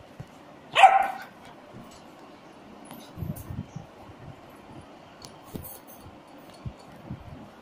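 A German Shepherd puppy gives a single sharp, high bark, followed by quiet low thumps.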